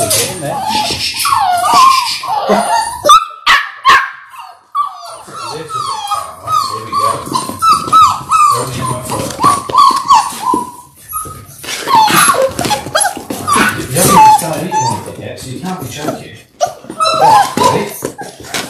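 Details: Indoor litter of six Labrador Retriever puppies in their sixth week, born January 18, 2022: wavering whines and short yips come in irregular bursts, mixed with human voices and handling noise.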